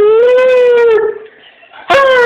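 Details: Shayna, a nearly 11-year-old female dog, joins a howling contest at home on 12Sept12: a smooth sustained howl holding steady for about a second, a quiet gap, then another strong howl starting.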